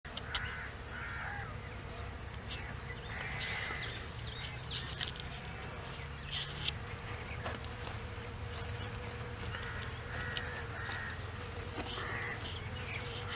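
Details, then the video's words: Honey bees feeding on mustard flowers in a field at Takhat Hazar village, Pakistan: a low steady buzz runs throughout, while birds call in short bursts and chirps in the background. "Honey Bees on Mustard Flowers"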